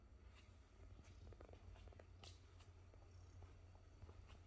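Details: A Maine Coon cat (Felis catus) purrs in a low, steady rumble, with faint clicks and rustles in a quiet room.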